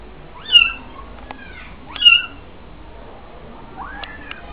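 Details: Kittens being weaned outdoors in the old Jewish quarter (mellah) of Fes, Morocco, their mother watching from a distance; thin, high, arching mews, two loud ones about one and a half seconds apart, then a fainter rising one, over light background hiss.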